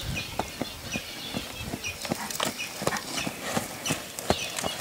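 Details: Brown pure-bred Lusitano stallion Guardiao HI in training at Coudelaria Aguilar: rapid, fairly irregular clip-clop hoofbeats, roughly eighty per minute, with sharp high snorting or scuffing bursts over a steady background hiss.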